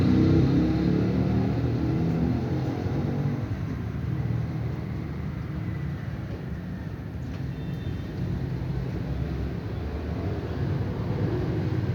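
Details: Continuous car and road traffic roar outdoors in an urban setting, loud and steady for the whole stretch.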